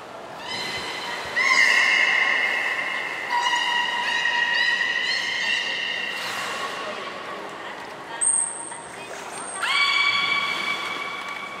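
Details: Aquarium belugas Hodoi, Taanya and Mirai in training at Port of Nagoya Public Aquarium, 14 September 2019: several long nasal harmonic tones, one upward-sliding, a thin high whistle near the end.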